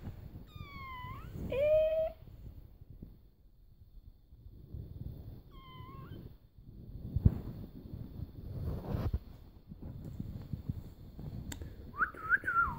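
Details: A cat meowing: a long drawn-out meow that bends upward near the start, a shorter meow a few seconds later, and a final wavering meow at the end, with low rustling and handling noise between calls.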